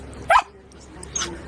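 A Siberian husky gives one short, strong bark-like yelp as a greeting, then a softer second sound.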